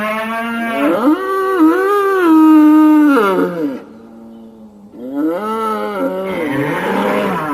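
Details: A raging bull gives long, wavering, harmonic bellows. The first runs for over three seconds with pitch wobbles, then a short lull, then a second rising moo.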